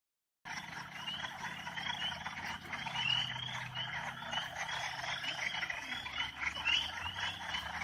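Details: Northern spring peeper frogs calling together: a dense chorus of short, high, upward-slurred peeps overlapping continuously after a brief silent start, with a steady low rumble underneath.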